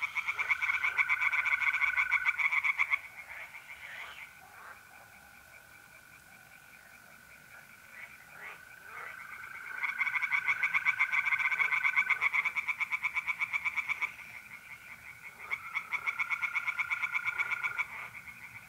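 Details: Pond chorus of tree frogs on a mid-April night in North-East Italy: loud bursts of quick rattling pulses, a quieter pause near the middle, and a constant trilling of mole crickets throughout.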